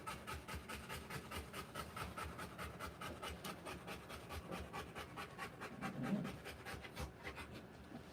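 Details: Panting of a Rottweiler in labour with puppies: fast rhythmic breathy pulses, roughly two a second, with a brief low rustle or shuffle partway through.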